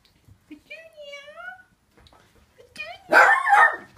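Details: Dog recorded in winter 2014: a drawn-out, wavering whine-like tone, quiet pause, a brief rising whimper, then one loud, rough bark that trails into a second shorter yelp.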